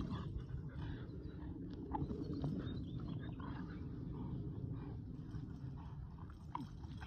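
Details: Pet Boston Terrier and Keeshond, two dogs, playing tug-of-war with a broken rubber toy; a low, continuous rumbling growl runs through the whole recording with faint scuffling noises.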